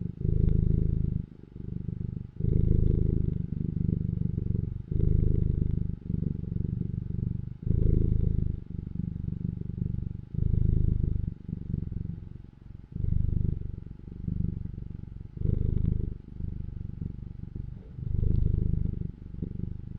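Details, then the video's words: Domestic cat purring in a deep, low rumble. Steady bursts of about one to two seconds are broken by short, regular pauses as the breathing cycles, for a continuous pulsing rhythm. No other sounds stand out. "CAT PURRING SOUND EFFECTS"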